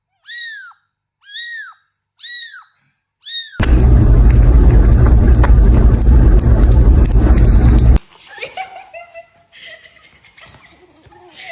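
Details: Kitten meowing four times in a row, about one short arched cry per second, each clean and high with bright harmonics. A loud rumbling crash of noise follows, then softer mixed background sounds.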